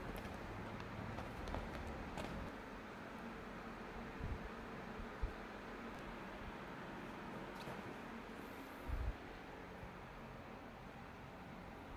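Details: Low rumbling traffic-like background noise with a few faint knocks and bumps, no clear animal call.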